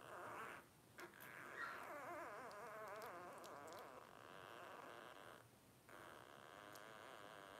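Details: A litter of five blenheim Cavalier King Charles Spaniel puppies, 12 days old, from Paris's first litter. Continuous wobbling, high whines and squeals with a wavy, trembling pitch carry through most of the clip, with one short pause near the end.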